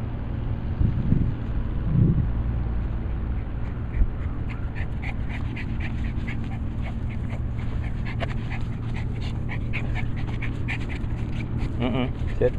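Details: Jack, a pet Miniature Pinscher, pants in quick repeated bursts through the second half, ending in a short high whine, over a steady low rumble of background noise.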